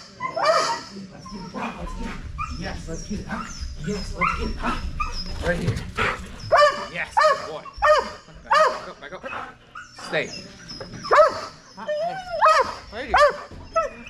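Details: Belgian Malinois named Strider at dock diving practice for Fetch-It (Air Retrieve), 10.25.22: loud, repeated harsh barks and yips come in irregular bursts roughly every second, mixed with excited human voices and encouragement.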